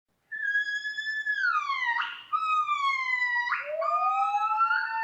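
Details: Gibbon calling in long, clear whistled notes that slide downward, broken by brief rough bursts, then a lower note rising steadily at the end.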